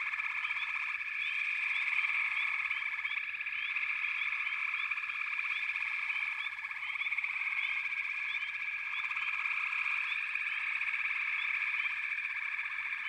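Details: A long, steady frog chorus with many callers blending into a shimmering drone. Rhythmic pulsed trills come and go, and short chirps repeat above them.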